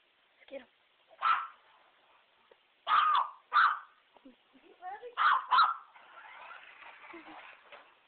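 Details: A dog attacking a remote control truck barks in short bursts, several paired barks close together, mixed with small yips and a steady hiss of background noise toward the end.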